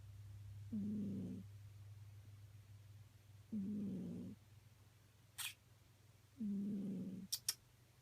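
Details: A sleeping cat snoring, each breath a rough buzzing rasp lasting under a second, three in all, roughly every three seconds over a steady low hum, with brief clicks between.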